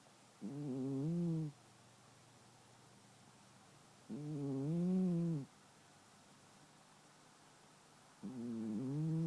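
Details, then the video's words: A 10-year-old longhair shelter cat asleep and snoring as usual: three slow, droning snores about four seconds apart, each a low harmonic rasp lasting roughly a second, with quiet room stillness between breaths. "The BrieCat Snores Again"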